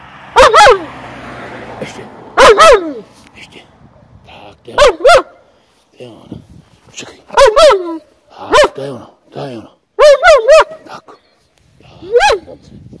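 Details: Dog being trained in Ostrata, Zlín region, Czech Republic, to bark on command as a greeting cue: single and paired loud barks spaced roughly every one to two seconds, with a trainer's quiet spoken commands between them.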